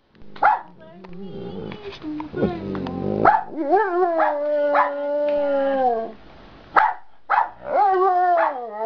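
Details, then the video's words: Giant panda in a good mood, singing leisurely in the afternoon: sharp short chirps, then long steady moaning tones that bend upward and level off, with brief quiet pauses between outbursts. "Panda Practicing Singing in the Afternoon"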